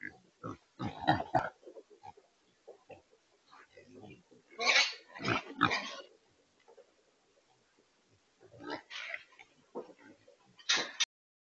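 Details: Wild pigs (feral hogs) caught in a remote-controlled corral trap in Texas, fitted with a transport system for loading: bursts of harsh, noisy grunts and squeals come in clusters, with short quiet gaps between them.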